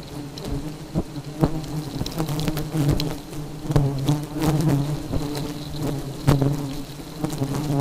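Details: Agitated honey bees produce a dense, low, humming drone that pulses slightly in loudness, with repeated sharp taps and crackles over the buzz.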